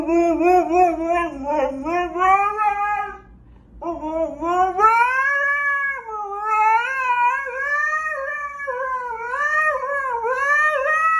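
A Siberian husky howls in long, wavering, rising and falling tones.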